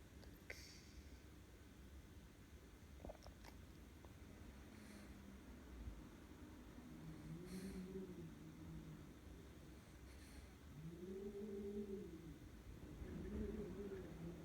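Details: A sleeping Boston Terrier snores with low, rasping, slightly tonal breaths that rise and fall every few seconds.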